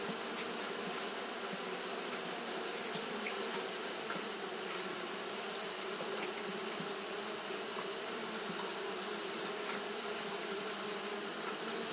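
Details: Hot-day fanning by Japanese honey bees: an unbroken low buzzing drone with faint flickers of individual wingbeats, overlaid by a steady bright high-pitched hiss.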